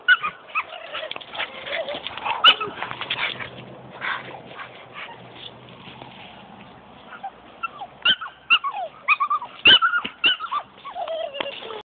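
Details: Playing rescue dogs, a young Australian Cattle Dog/Border Collie mix aged 10 months and a 2-year-old Staffordshire Bull Terrier, give irregular yips, whimpers and grumbles amid scuffling. Sharp yelps cluster in the final seconds.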